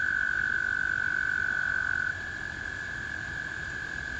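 American toads give long, steady, high musical trills that overlap in a spring chorus.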